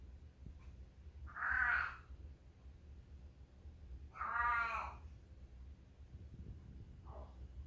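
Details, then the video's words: Leo, a male long-haired feral cat now living as a house cat indoors, said to be constipated again: two loud, drawn-out harmonic meows about three seconds apart, then a faint short third cry, over a low steady hum. "Listening to the sounds of our feral turned house cat"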